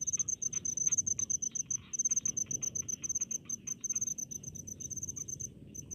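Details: Crickets among rice fields in a rural area, shrill rapid chirp trains repeating continuously, overlapped by softer mid-pitched pulsed calls from other insects and a low rumbling background.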